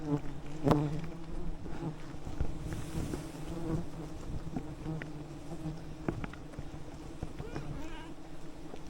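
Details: A swarm of wild bees on a giant jungle honeycomb high above a valley, calmed with smoke by two honey hunters; continuous deep humming drone with overtones, punctuated by brief cracks and handling noises.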